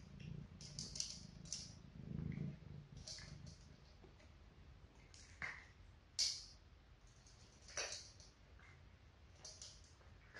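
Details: Four cats, two adult sisters and two kittens, crunching dry food for relaxing ASMR listening: a soft low rumble early on, then spaced crisp bites and clicks, one sharp crunch standing out midway.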